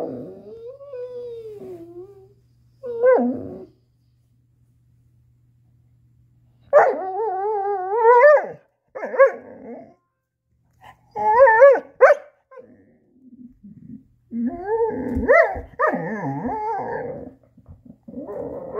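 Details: Chaco, a female black Lab-Coonhound mix, vocalizing over her stuck ball: a soft descending whine, then short bursts of pitched yips and wavering whimpers broken by gaps, growing busier and more rapid toward the end.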